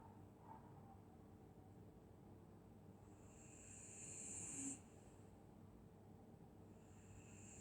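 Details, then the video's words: Dog asleep on a winter night in Scotland, snoring softly: one long breathy, hissing intake swelling around the middle and fading after about a second, over a low steady room rumble. "Dog snoring in Winter night"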